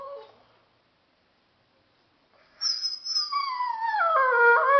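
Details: Talkative Dogo Argentino seemingly trying to tell its owner something; after a near-silent gap, a high howl starts abruptly and glides slowly downward, holding steady and loud toward the end.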